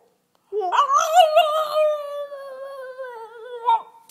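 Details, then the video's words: Two-year-old female French bulldog indoors, relaxed and 'conversing', gives one long sustained tonal howl, rising at the start, then held level with slight wavering and a brief upward flick near the end; quiet room. "Bouledogue français qui chante"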